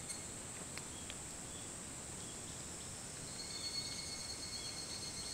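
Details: Higurashi cicadas at half past four in the morning, 28 July 2011, Hitotsubashi University grounds, Kunitachi, Tokyo; continuous high-pitched ringing chorus that grows slightly louder and more pulsing toward the end, with a low ambient hum beneath.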